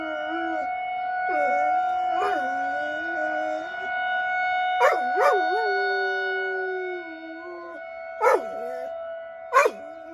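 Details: Weekly tornado drill in Rochester, Minnesota: a pet dog howls throughout. Repeated wavering howls dip and rise, broken by short sharp yips, all over the constant multi-tone siren.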